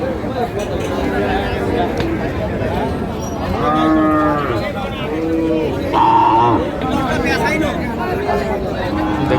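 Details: Cows at the Ambari cattle market in Rangpur, Bangladesh, on 21 February 2025: several deep, drawn-out moos with rising-then-falling tone, one every couple of seconds, over a crowd's chatter and nearby men talking.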